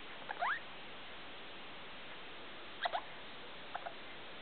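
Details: Pet degu calling at 2 o'clock at night with the room light on: a few short, sharp rising squeaks, one clear sweep near the start, a double squeak near three seconds and a faint one after, over steady low hiss.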